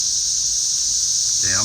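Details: Loud chorus of many cicadas flying around trees, a steady high hissing drone held without a break; a man's voice starts speaking near the end.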